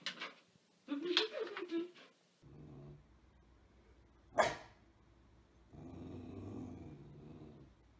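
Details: Pit bull from a compilation of funny pit bull moments at home, giving a low rumbling growl in drawn-out bursts and a single sharp bark, with people talking and exclaiming over it.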